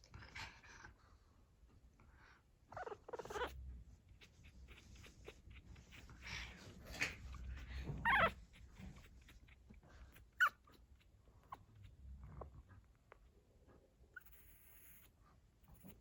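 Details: Pug puppies, 14 days old, just starting to walk and making low noises while their mother watches over them. Brief, faint whimpering squeaks come in scattered bursts, with soft rustling and shuffling in between.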